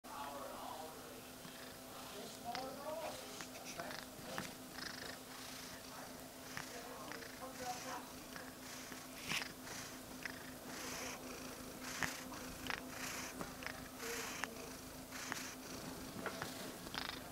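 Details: A pet cat purring steadily indoors, a low continuous rumble under scattered soft rustling clicks and brief noises from movement close to the microphone.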